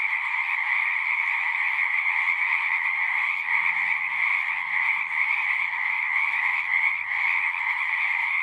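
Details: Singing frogs fill the air with a thick, even chorus of rapid high-pitched trills that never pauses, and a brief faint low murmur sits underneath midway.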